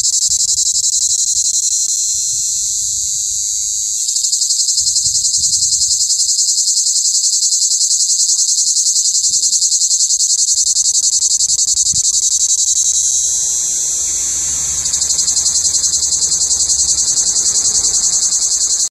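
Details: A male plebeian cicada (Lyristes plebejus), Europe's largest cicada at about 5 cm, gives a loud, unbroken, high-pitched buzzing song, made by its tymbals and its hollow, shaking abdomen, sung tirelessly to attract females in summer.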